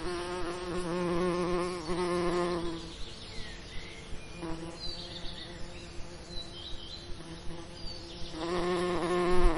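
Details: Among summer lavender, a bee's low, steady droning buzz swells close by, fades, then returns loudly.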